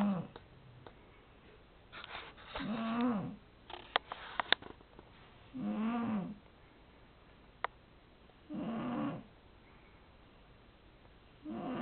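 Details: Domestic cat asleep and snoring, giving steady raspy, buzzy breaths roughly every three seconds, about four snores in sequence, each swelling then fading, with a few sharp clicks and small knocks between breaths.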